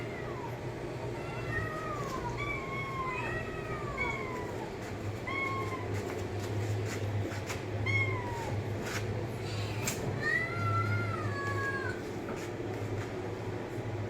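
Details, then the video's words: Domestic cat giving a series of clear, arching meows, each rising then falling, several close together and then spaced a few seconds apart, over a steady low hum. "cat meowing sound effect"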